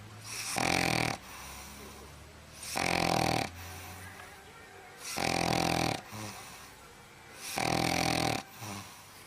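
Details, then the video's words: A sleeping dog snores in a steady rhythm: four loud, raspy inhalations, each under a second long, recurring about every two and a half seconds, with softer breaths in between. "Snoring Dog"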